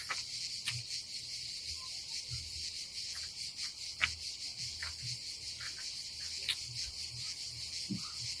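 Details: Unbroken high-pitched cicada buzzing on a summer day at a Croatian campsite above the Adriatic Sea, steady in loudness, with scattered soft clicks and low thumps in the background.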